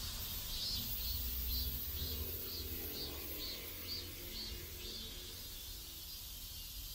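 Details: Neighborhood cicadas in South Korea: a rhythmic high buzz throbbing roughly twice per second, growing fainter after about five seconds, set against a continuous low hum of ambient noise.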